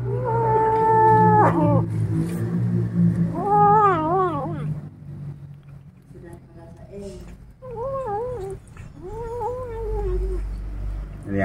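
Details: Angry kittens disturbed while eating a rat give long wavering, harmonic growling yowls in several drawn-out bursts that rise and fall in pitch, with people talking in Indonesian in the background.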